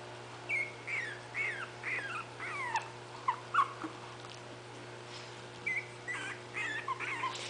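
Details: Five 20-day-old puppies of a dog named Itsy Bitsy, poking around while waiting for their mother to feed them; high, squeaky whimpers and yips in short rising and falling bursts, about a dozen across the stretch, over a steady low hum.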